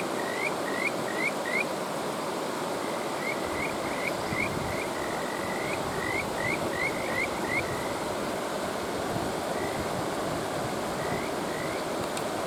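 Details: Kajika frog calls over a rushing stream: a quick burst of rising whistled notes, then a dense run of trilled notes with a longer drawn-out one, and a few spaced calls at the end.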